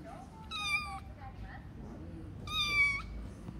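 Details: An American Shorthair cat at a pet shop gives two high, thin meows about two seconds apart.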